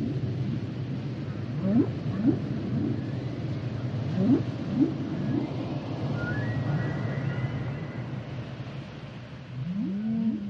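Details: Humpback whale song: low moans around a steady underwater rumble, short upswept rising cries repeated in quick runs, a faint higher tonal whistle midway, and a looping upward call near the end.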